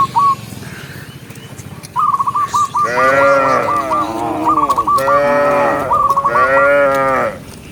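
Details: Cows let out of the pen in the morning head down a green hill to graze. Chirpy bird twitters come first, then three long, rich moos rise and fall one after another.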